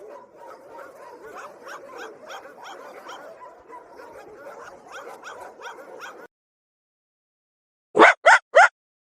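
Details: Dog barking: about six seconds of busy, overlapping yapping, then silence, then three loud, sharp barks in quick succession.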